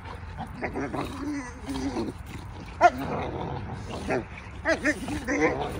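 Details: A pack of Cane Corso puppies giving high, curving whimpers and whines that rise and fall in pitch, several overlapping in short bursts, with people's voices murmuring in the background.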